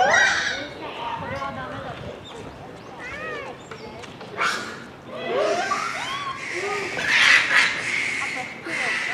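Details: Japanese macaques calling together at dusk at Hamura Zoo, Japan, December 2020, shortly before closing; a continuous jumble of arching coos, squeals and harsh screams from many troop members overlapping throughout.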